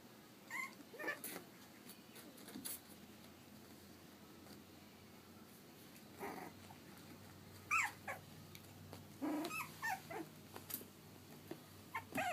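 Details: Three-and-a-half-week-old Pug/Dachshund mix puppies give scattered short whimpers and squeaks, some high and thin, others lower and brief, at irregular intervals over a quiet indoor background.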